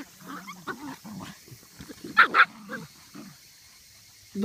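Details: Medium poodle pups in a play-hunting tussle with a lion: soft grumbling and small yips lead up to two loud, quick barks in the middle, with a person talking quietly underneath.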